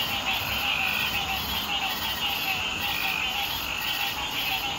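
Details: A dense chorus of Green Treefrogs (Dryophytes cinereus) on Hilton Head Island in June 2018: countless nasal honking calls blend into one steady din.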